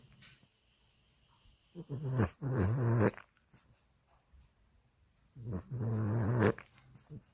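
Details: A Boston Terrier sleeping in its owner's arms snores in slow, rattling breaths, each low rasp lasting about a second.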